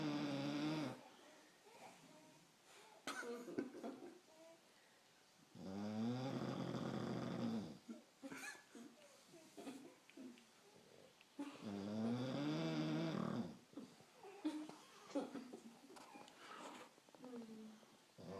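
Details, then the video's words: Sleeping bulldog named Hugo, his snoring likened to a T-rex: three long, rumbling, buzzy inhaled snores, each around two seconds, spaced several seconds apart, with soft rustling and brief noises in the gaps. "Hugo snores like a t-rex"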